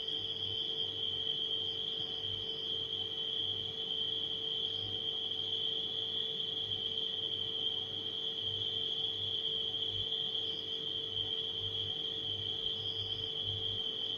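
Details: A dense band of nighttime cricket chirping runs unchanged throughout, with brief fainter higher chirps now and then, set against a refrigerator's steady mechanical hum and a throbbing low rumble.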